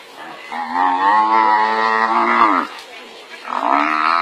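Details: Wild buffalo overpowered by a pride of lions, with another buffalo coming to its rescue; a long, drawn-out harmonic bellow lasting about two seconds, then a second rising moan begins after a short pause.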